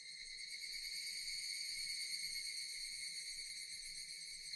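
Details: Continuous chorus of Japanese cicadas, a bright, sizzling, high-pitched buzz holding level throughout with a slight rapid throb and no pauses, over soft low background noise.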